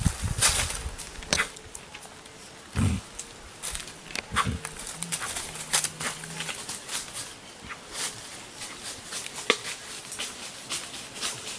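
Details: Queixada, or white-lipped peccary, hitting its teeth when in danger: sharp irregular snaps scattered across the stretch, a few loud bursts standing out, with a faint low steady hum underneath.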